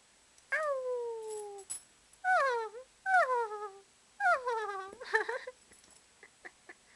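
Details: A 5-month-old Cocker Spaniel puppy, excited while playing and hearing puppy noises made at him, gives a run of high, drawn-out whines that slide downward in pitch.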